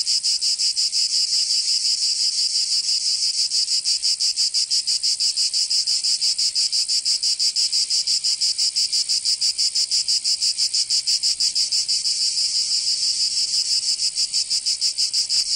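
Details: Cicadas singing in summer in Provence, southern France: a dense, high, metallic buzz pulsing rapidly and evenly, about three beats per second, steady in loudness throughout with no other sounds.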